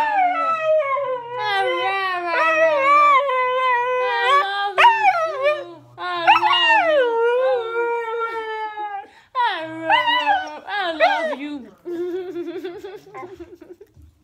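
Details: A female husky howls in long, wavering, mournful notes that slide up and down, with a person howling along.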